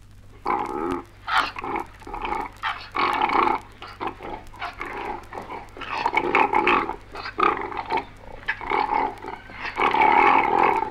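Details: Koala; fighting calls; aggression between fighting koalas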